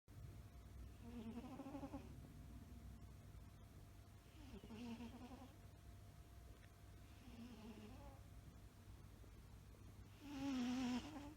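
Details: Maine Coon cat (Felis catus), snoring.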